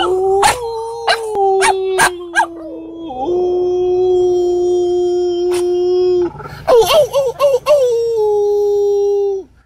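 A French Bulldog gives a drawn-out howl, holding level tones for several seconds before wobbling up and down in a yodelling run. A few sharp knocks sound at the start.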